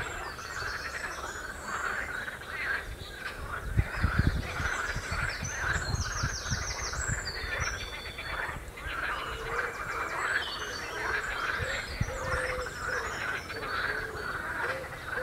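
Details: Many frogs croak together on the Royal Military Canal near West Hythe in a continuous, noisy chorus of rasping pulses. Brief high bird twitters break in around the middle, and low rumbling sounds underneath.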